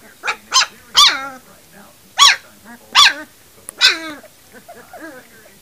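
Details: Puppies three weeks old giving short, sharp yelps and squeaky barks, five or six bursts spaced irregularly over five seconds, some trailing into brief whines, while a person talks softly to them.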